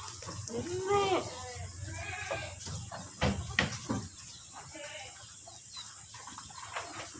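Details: Etawa goats at a Kaligesing breeding farm in Purworejo, Central Java, kept as prospective sires and mothers. Two wavering bleats open the clip, followed by clattering knocks and fainter calls, with a steady background hiss.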